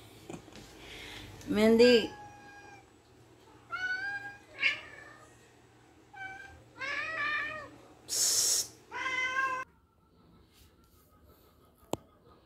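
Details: Pet cats fighting while waiting for their breakfast. A loud, wavering yowl opens, then a string of drawn-out meows from several cats, some rising and falling, with a sharp hissing burst near the end.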